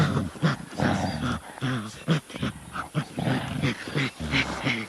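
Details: Gorilla giving a series of deep, rough grunting calls in short bursts, several per second, with pauses between groups of calls.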